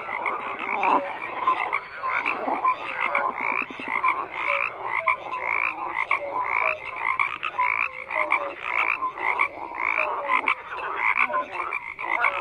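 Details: Continuous chorus of frogs, dense raspy croaks and quick pulsed trills layered over one another, with occasional short tonal notes.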